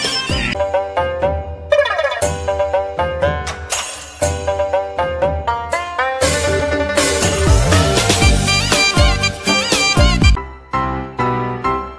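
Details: Loud Bollywood-style music with plucked strings and rapid percussion fills the whole stretch, and no animal voice is heard.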